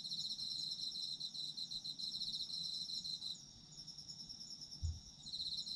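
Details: Autumn insects trilling in a high, fast-pulsed chorus that stops after a few seconds, leaving sparse high chirps and a single low thump, before the trill starts again near the end.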